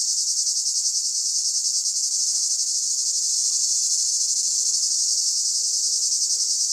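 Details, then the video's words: Cicada singing in summer 2015: a dense, continuous high buzzing with a fast pulsing texture, steady and loud throughout, with a faint low tonal murmur underneath. "Estate 2015 con cicala e orchestra"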